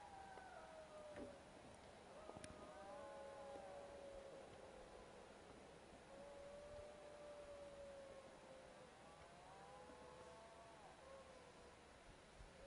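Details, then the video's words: Wild dogs howling at camp: several overlapping voices hold long, wavering howls that slide downward and rise again, one answering another, set against a steady background hiss. "Wild dogs howling at camp"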